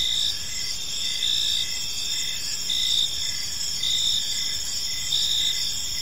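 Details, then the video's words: Crickets sing in a park at dusk, their thin high trills steady and layered, with short rhythmic chirps repeating near once per second. Nothing else is clearly audible beyond a soft hiss. "Cricket Sounds in a Peaceful Park"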